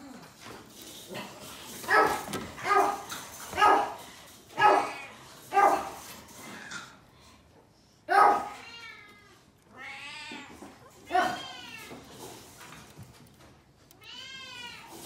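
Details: Newborn Japanese Chin puppies, five black pups born on February 15, in a litter: a run of short broadband squeaks every second or so, then rising and falling harmonic whining squeals, indoors.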